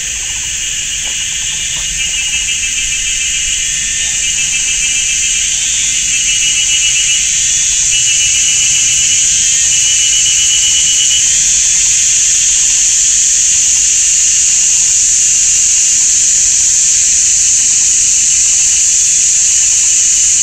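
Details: Chorus of cicadas making big noise in a Taiwanese forest, GuanYin Shan, sunny summer afternoon; a piercing continuous buzz swells louder over the first seconds, then holds steady with a rapid rattling pulse inside.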